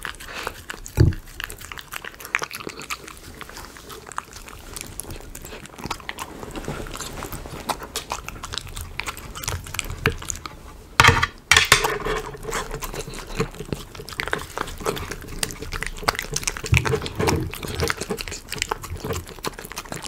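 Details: Indoor Miniature Schnauzer chewing chicken pot pie dog food: steady soft crunching and smacking with several louder sharp crunches, including a burst just past the middle.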